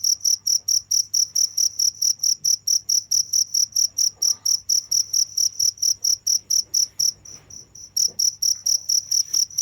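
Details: Cricket chirping in a fast, even train of high pulses, fading slightly for a moment past seven seconds before carrying on at full strength.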